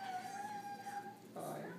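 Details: Shih Tzu crying while held in a person's arms, upset about a new puppy in the household; a thin, steady high whine held for over a second, then a brief rougher burst, with a person speaking nearby.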